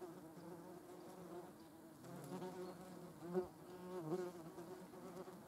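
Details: European hornet in company with German wasps, buzzing in flight: a low droning hum with stacked harmonic bands that swells around the middle and peaks in two brief louder passes.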